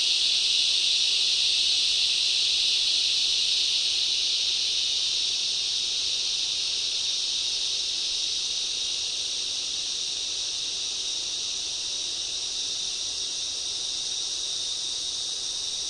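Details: Waves of loud cicadas in a summer rainforest, an unbroken shrill buzzing that is strongest at the start and eases slightly in loudness toward the end.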